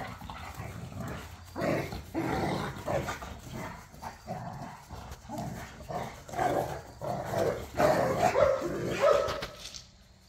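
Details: Pit bulls and a Malinois play fighting in a back yard, snarling over toys; rough growls and gruff barks repeat in irregular bursts about every half second to second, building louder toward the finish.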